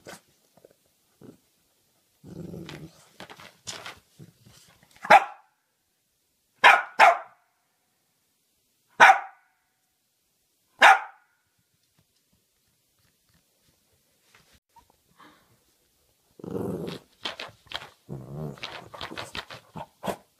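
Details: Pet Cavalier King Charles Spaniel barking indoors: sharp single barks spaced about two seconds apart through the middle, with lower, muffled rumbling sounds near the start and a cluster of mixed short noises toward the end.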